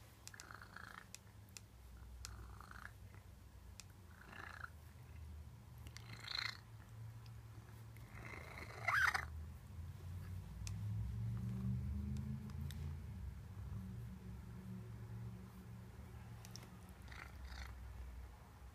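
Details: Old white Maine Coon rubbing itself on a laptop, purring in an even low rumble that swells louder in the second half, broken by brief rubbing and tapping noises.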